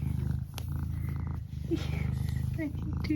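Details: Tired, yawning pet cat Eric purring in a low even drone, broken by a brief pause, while a person speaks quietly over him.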